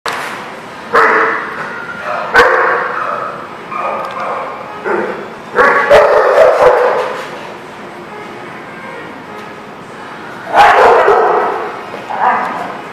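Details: Several dogs barking at a dog daycare or kennel on 16 November 2019, loud overlapping bark bursts coming in irregular clusters, with quieter gaps between them and a reverberant indoor feel.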